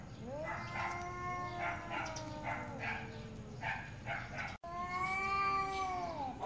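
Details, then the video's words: Angry cats arguing, trading long drawn-out yowls with strong harmonic bands, overlapping and wavering in pitch, one call sliding down at the end; a short break near the middle, then a rising, sustained wail. "Very Angry Cats | Cats Meowing Very Loudly"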